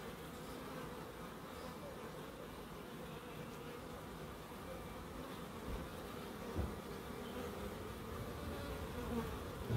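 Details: Garden bees in Crookes give an unbroken low drone, a thick steady buzz. A sharp click near the end briefly breaks the hum, and the sound swells a little in the last seconds.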